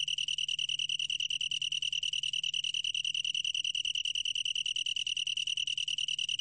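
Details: Long-tailed tree cricket singing a steady, clear ringing trill, a pure high tone made of rapid, evenly spaced pulses that run without a break, with faint overtones above and a quiet low hum beneath.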